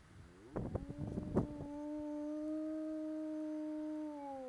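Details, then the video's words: A bored pet dog named Arko, free at his yard's entrance gate, begins with a few rough noises, then swells into one sustained, even howl that drifts slightly lower as it ends. "Arko howling"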